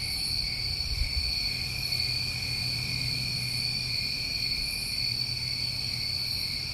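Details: Steady shrill chorus of New England summertime crickets, layered continuous trills with faint high pulses repeating roughly every one and a half seconds, plus a brief low thump near the start.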